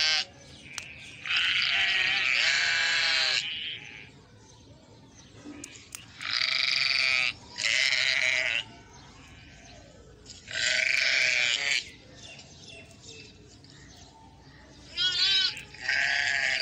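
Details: Mother sheep with her lamb: loud, harmonic bleats lasting one to two seconds, repeated in bursts with short pauses between, some higher and wavering; a faint background hiss between calls.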